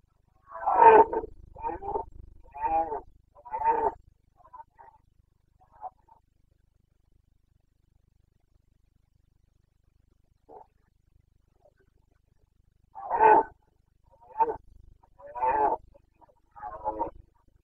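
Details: Carpathian red deer stag in the Bucovina mountains during the breeding season rut (boncănit), 29 September 2022. A burst of four hoarse, deep roars, a long quiet gap, then another run of four roars with short pauses between them.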